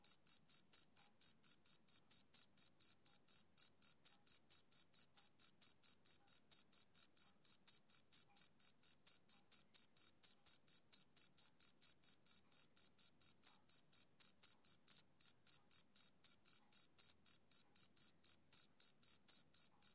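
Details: A male cricket calls through a summer evening with soothing, rhythmic chirps, a continuous run of high, tinny pulses at a brisk steady pace of about four per second, alone in silence.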